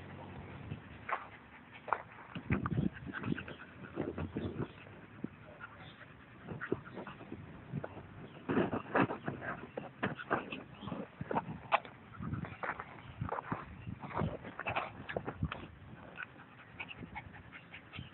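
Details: A Scottish Terrier playing with a ball, giving short whimpering and yelping sounds in bursts throughout, with a person urging it on.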